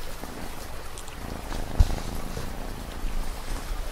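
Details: A cat's low, continuous purr rumbles through a short stretch, a faint pulse running through the drone, with a gentle rain hiss and one soft knock behind it.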